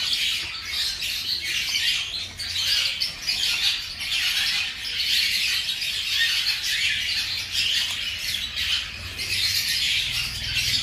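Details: A litter of baby hamsters, five days old, squeak while feeding: a constant shrill, scratchy chorus of overlapping tiny squeaks with no pauses, steady loudness throughout.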